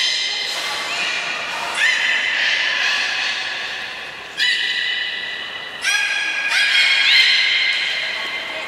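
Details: Belugas Taanya, Nana, Mirai and Niko in an aquarium training session at Port of Nagoya Public Aquarium, 11 July 2020: high, buzzy harmonic squeals in several separate bursts, one rising in pitch near the end.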